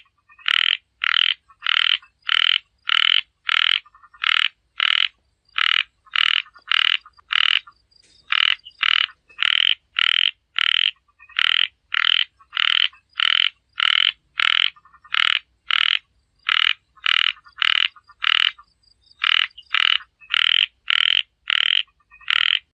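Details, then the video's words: Rapid bursts of short, harsh frog croaks, bright and pulsed, grouped in runs of several notes with brief gaps, roughly a hundred calls a minute over a quiet background. "#frog #เสียงเขียดร้อง"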